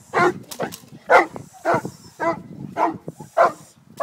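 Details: Haus, a Cane Corso, at a three-day French Ring training seminar in Montreal, gives deep, rough barks in quick succession, about seven bursts in four seconds, with faint voices murmuring underneath.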